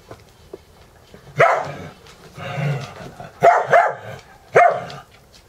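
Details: Morning play-wrestling between dogs boarded at a home in Valley Village, California, with two more dogs observing; three bursts of sharp barking and snarling play vocalizations separated by quieter growly rumbles.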